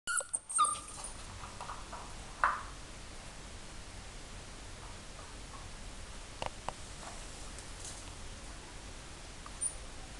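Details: Two crossbreed puppies at play, a dark Schnoodle (Schnauzer x Poodle) and a cream Spoodle (English Cocker Spaniel x Mini Poodle): a few short, high squeaky whines at the start and another at about two and a half seconds, then near quiet.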